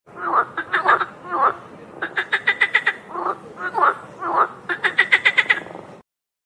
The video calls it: Frog Sound